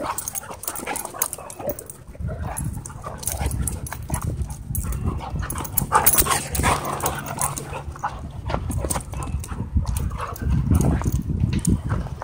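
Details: Two dogs play-fighting at a dog park, trading low rumbling growls and snarls in a continuous scuffle, with brief sharper yelps and rustling, scraping movement throughout.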